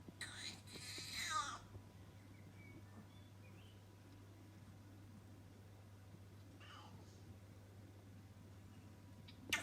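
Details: Cat making a funny sound: one strained, wavering meow lasting about a second and a half and falling in pitch at the end. Then only a steady low hum with faint, brief squeaks.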